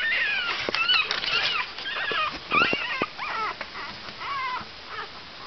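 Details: Five-day-old Cavalier King Charles Spaniel puppies whimpering and squeaking indoors; several thin, wavering high cries rise and fall and overlap, with soft rustling between them.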